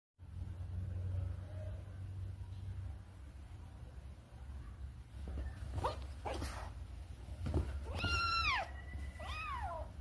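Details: Playful, mischievous domestic cat giving two short arched meows near the end, after a stretch of low rumbling room noise, scattered clicks and knocks.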